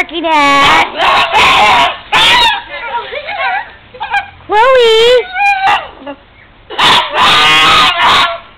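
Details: Chloe, a pet pug, excited by the snow and the neighbour's dog, gives loud, wavering, human-like screams in repeated bursts, rising and falling in pitch, with short quieter yelps between them.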